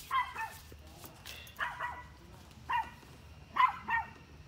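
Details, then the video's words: A dog barks at deer in quick doubled barks, four bursts spaced about a second apart, slightly hoarse, over a faint hiss and low background rumble. "Dog barking at deer"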